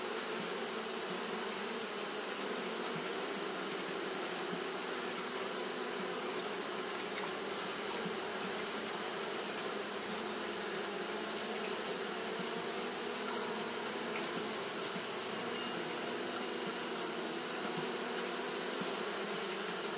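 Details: A hot-day recording of Japanese honey bees fanning: a continuous droning buzz, low and layered. It stays steady throughout, accompanied by an unbroken high sizzling band.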